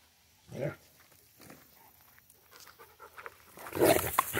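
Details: Central Asian Shepherd dog named Safarik in Michigan; a person's voice speaks softly, then a loud, harsh burst of barking-like sound closes the recording.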